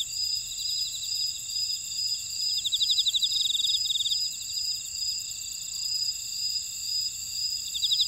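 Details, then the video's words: Insects in a buckwheat field at Ora-dong, Jeju, South Korea: steady high tones with a dash-like pulsing band and a louder rapid trill between two and four seconds, then quieter humming. "제주 메밀밭의 풀벌레 소리"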